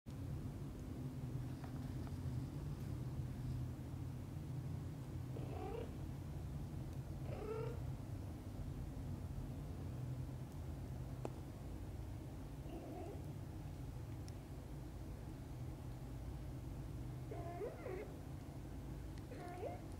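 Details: Kittens just awake, asking their mother cat to play outside: several short, high meows with bright harmonics, each sliding up then down, come a few seconds apart over a steady low hum.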